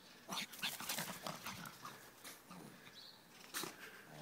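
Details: A Petit Brabançon dog named Gremling at play, giving short rough growling and snuffling bursts over about four seconds, with brief noisy scuffles and a louder burst near the end.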